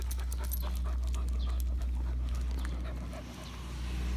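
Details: Young female Irish Setter on her first walk to the park, 23 June 2022, still untrained and stumbling about. Rapid, breathy panting at roughly three to four breaths a second over a constant low rumble of wind or handling noise.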